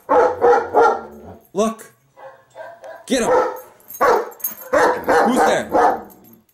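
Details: Female German Shepherd indoors barking at her own image on a screen: loud, harsh barks in quick bursts, some doubled, with gaps between, while a person excitedly urges her on with 'get him' and 'who's there'.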